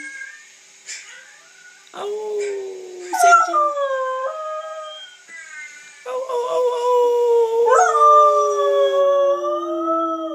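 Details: Siberian Husky puppy taught to howl by a boy, joined by Chui the collie, urged to sing: long wavering howls rising and falling, overlapping voices with breaks between, a person's voice at the start.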